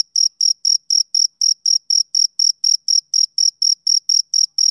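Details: Male cricket on a summer evening chirping in a smooth, metronomic series of sharp high pulses, about four per second, in otherwise quiet surroundings.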